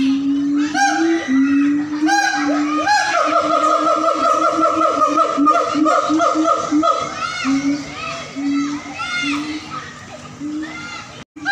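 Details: Zoo-kept siamang gibbons in North Sumatra howl together, low pulsing booms running under rapid, rising whoops that climb and accelerate into a long rippling series before easing back to steady booming.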